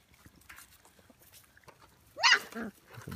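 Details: Five-week-old Belgian Malinois puppies from the 2015 litter of Helke and Hot Dog, eleven pups born 18 June, kept in their pen for the morning before nursing with their mother; one short, loud, falling yelp rises above quiet rustling and faint shuffling.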